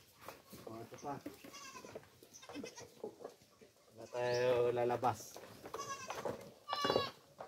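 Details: Kept goats being given coconut pulp (tubuan) to eat. Human speech and rustling dominate the first half, then one loud, long, quavering bleat rings out around the middle, followed by a shorter cry near the end.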